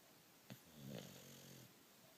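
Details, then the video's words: A bulldog sleeping soundly indoors lets out one low, rattling snoring breath lasting under a second, preceded by a brief click. "Bulldog snores"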